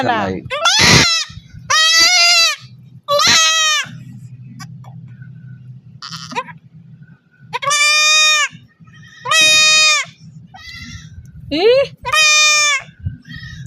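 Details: Goat bleating while being castrated: loud, strained, wavering bleats with rich harmonics, several drawn-out cries separated by short gaps, with people talking and a low hum between calls.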